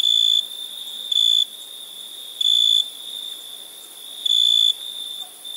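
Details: At night, crickets produce a continuous high ringing tone broken by a few louder, longer chirps spaced one to two seconds apart.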